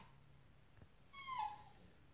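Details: A dog eager for a squirrel on a hot morning gives a single high whine that slides downward, clear and tonal with bright overtones, against quiet room hum.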